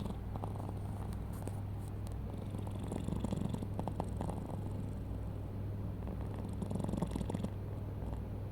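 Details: Mochi, a pet cat, snoring while asleep: a steady, continuous low rumbling hum that holds an even level throughout, with faint scattered clicks and rustles above it.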